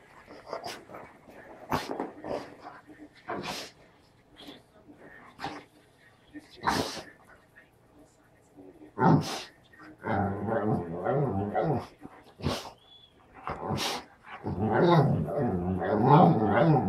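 An English springer spaniel makes its 'talking' noises, long wavering whine-moans that bend up and down in pitch. Scattered sharp taps and clicks and a few soft human words come between the bouts.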